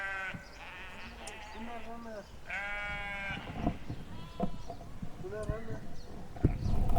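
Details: Several overlapping sheep bleats in quick succession, some low and some higher, during the first three seconds, then a human voice and thumping handling noises.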